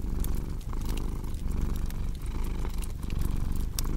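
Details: Rumbling domestic cat purr, pulsing roughly once every second with its inhale and exhale, accompanied by sharp crackles from a burning fireplace.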